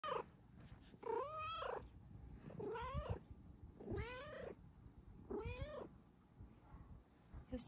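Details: Two Bengal cats show up for morning pets and attention; one gives four loud, drawn-out meows, each rising then falling, about a second apart.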